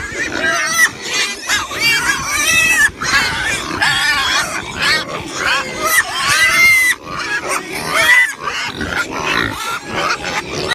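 Pigs squeal and grunt almost without pause, several high, wavering cries overlapping, with short breaks near three and seven seconds.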